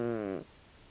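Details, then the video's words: Tabi, a 16-year-old calico cat, snores loudly while asleep: a single droning, buzzy breath with a steady low pitch and stacked overtones. It lasts under half a second and fades into quiet room tone. "タビ 猫のいびき"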